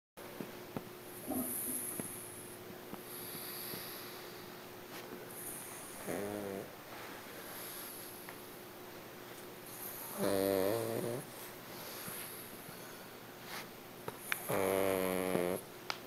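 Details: A dog named Hachi snoring: three low, buzzy, rattling snores with stacked harmonics about four seconds apart, separated by soft hissing breaths.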